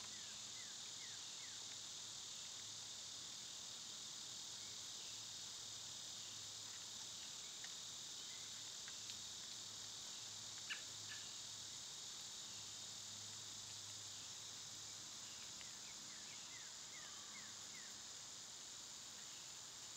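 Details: Summer cicada chorus: an unbroken, shrill, hissing buzz holds steady throughout. Faint quick bird chirps are heard near the start and again toward the end.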